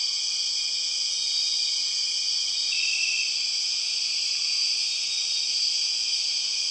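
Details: {'caption': 'Borneo rainforest soundscape led by empress cicadas: a dense, steady shrill whine without pause. A slightly higher tone joins partway through and lingers briefly.'}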